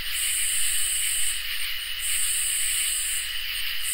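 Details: Summer night chorus of crickets and katydids, a continuous shrill high trill layered with a brighter buzzing band that breaks off roughly every two seconds and resumes, over an even insect hiss.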